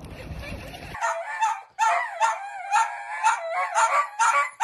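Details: Pet Dachshund yapping in quick, bright, insistent barks after a second of muffled background noise, the barks coming in tight bursts with slightly tonal, whiny edges.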